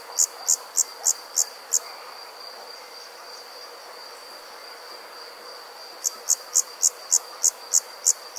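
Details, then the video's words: Summer insects calling at night in the countryside: bursts of sharp high chirps about three or four per second, pausing for several seconds between runs, over a steady high hum and soft background din. "Nighttime Insects Country Living, Nature | Comforting Summer Insect Sounds"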